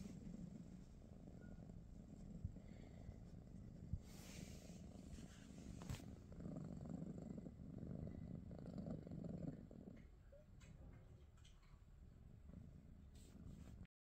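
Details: British Shorthair cat, one of the household cats Pikachu, Teddy and Rosie, spending the morning with its people, purrs in a soft, low, steady rumble that continues unbroken for about fourteen seconds, with a few faint clicks and rustles.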